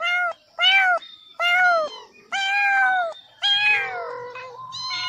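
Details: Repeated loud kitten meows, five sustained high cries about a second apart, each steady then dropping at the end, the last trailing into a softer lower wail over faint background noise.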